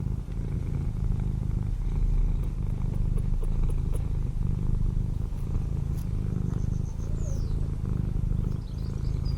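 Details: A neighbour's domestic cat purring while visiting a cottage garden in the English countryside: continuous deep, even rumble throughout, with a few faint high bird chirps over the top toward the end.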